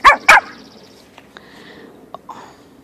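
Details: Yorkshire Terrier x Maltese puppy playing outside on a hot day gives two sharp, high yappy barks in quick succession at the start. Faint scattered taps and rustles follow in an otherwise quiet outdoor setting.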